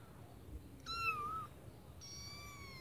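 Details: Kitten in a white bucket giving a thin, high meow that rises then dips, followed by a fainter high-pitched second meow, over quiet background.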